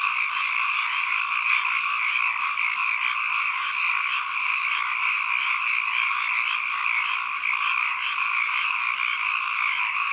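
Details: Frogs calling as ambient sound: a dense, unbroken chorus of many overlapping croaks forming a steady shimmering drone with two bright bands, mid and high, across the whole stretch, with no pauses and no other sounds.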